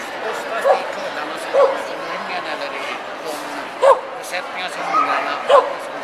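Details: Kuvasz barking at Hundsmart 2009 with the Swedish Kuvasz Club, a Swedish Kennel Club event: four abrupt single barks at uneven intervals of one to two seconds, against continuous indoor chatter and crowd noise.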